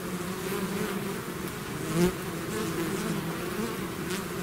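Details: Bee swarm out of its hive: a dense, steady low hum of many wings with a droning band and overtones, continuous throughout, one brief louder swell near the middle as a bee passes close.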